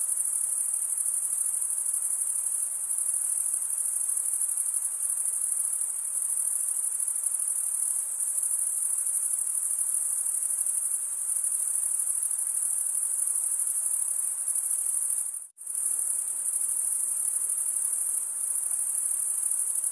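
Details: Crickets, mostly males, stridulate in a steady high-pitched pulsing drone that runs for the whole stretch. A sudden brief dropout to near silence comes just after the fifteen-second mark before the trilling resumes unchanged.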